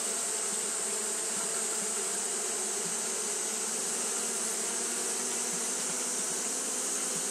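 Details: On a hot day, Japanese honey bees keep up their fanning, giving a dense, even buzz of low humming tones with a sharp hiss held steady above it.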